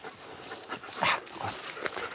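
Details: Arthur, a nervous German Shepherd in Danish dog training that barks at people and lunges at other dogs, gives one short sharp bark near the middle, with softer whining yips before and after over a steady background hiss.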